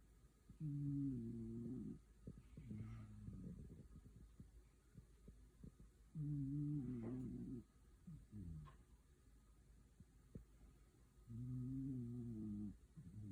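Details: Dog asleep and comfortable indoors, snoring in a steady rhythm: three long, low, droning snores, each about one and a half seconds, spaced several seconds apart with softer rasping breaths between.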